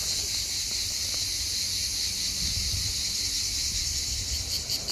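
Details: Hellenic cicadas on Skiathos, Greece, the "sound of summer", singing almost all day long: a steady, high, hissing buzz that never pauses.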